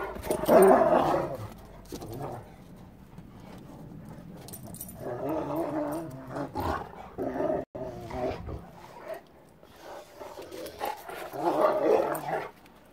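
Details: A Rottweiler playing in snow gives deep, gruff barks and growly huffs at the start and end, with music in between.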